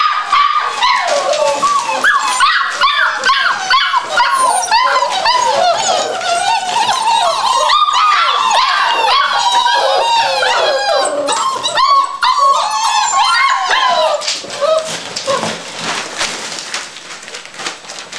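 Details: Seven puppies almost six weeks old, a litter of Sophie's, waiting eagerly for mealtime: a dense chorus of high whining, yelping and yips, overlapping squeals sliding up and down, easing off toward the end.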